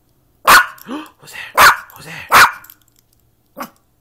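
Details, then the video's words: Pet Yorkshire Terrier barking while playing: three loud, sharp barks about a second apart, then a softer short bark, with a person talking to the dog between barks. "Yorkie barking and playing"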